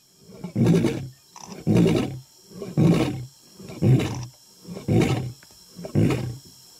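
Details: Male African lion in the African jungle, roaring ahead of an attack, ends in a steady series of six short, deep, coughing grunts, about one per second, regular and evenly spaced.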